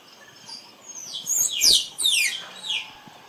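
A squirrel calls with sharp, very high squeaks, each sliding steeply downward. The notes come in a fast, uneven burst over a faint hiss of background noise.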